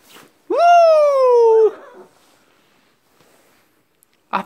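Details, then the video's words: Pet dog howling in a wolf-like way indoors: one loud, smooth, richly harmonic howl that rises sharply, then slowly slides downward over about a second before fading, followed by quiet and a brief burst of noise at the end. "늑대 울음소리 2"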